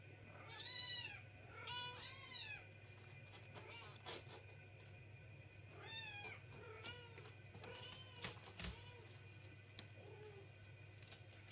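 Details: Kittens crying loudly at night and keeping their owners awake: a run of high, arching meows, some overlapping, in bursts near the start and again midway and later, over a steady low hum, after a person's spoken plea to sleep.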